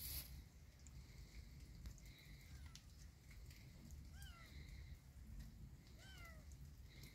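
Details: Kitten walking in a yard in rainy weather gives short, plaintive meows that fall in pitch, two clear ones about two seconds apart near the end and a fainter one earlier, over a steady low rumbling background.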